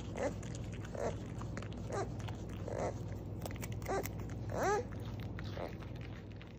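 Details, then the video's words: Beaver screaming: a series of short nasal, whining cries roughly once a second, some sweeping up and down in pitch, over a steady low hum. "Beaver sound, beaver scream"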